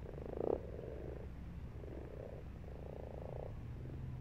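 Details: Pond frog croaking in March: one loud close croak at the start, then softer pulsed purring croaks trailing off, low background rumble throughout.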